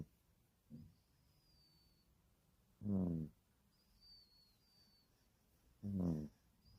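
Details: Sleeping puppy snores: a soft short snort, then two strong, buzzy, harmonic snores about three seconds apart, with thin high bird twitters faintly behind.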